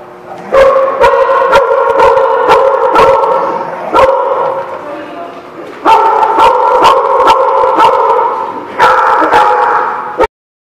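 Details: Dogs at a lot on 3/4/16 giving a long, steady harmonic whine or howl broken by sharp clicks and knocks, stopping at about four, six and nine seconds before resuming, then cutting off abruptly.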